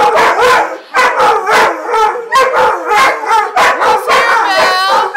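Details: German Shorthaired Pointers in a loud chorus of short howls and yelping barks, bursts repeating about once a second, overlapping voices with wavering harmonic tones.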